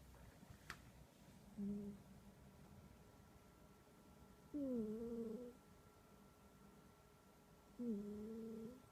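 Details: Sleeping domestic cat giving a loud humming snore indoors: smooth tonal hums, each about a second long, recur every few seconds over a faint steady room background.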